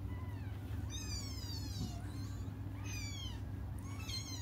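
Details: Cats crying while waiting for their mother to come back: three high, wavering meows rich in overtones, rising then falling, at roughly one, three and four seconds, over a steady low hum.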